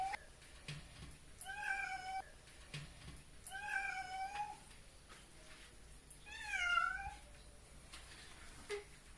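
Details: Domestic cat being bathed, unhappy and trying to climb out of the water: three long, drawn-out wailing meows with strong harmonics, each rising then falling, spaced about two seconds apart, with faint splashing between them.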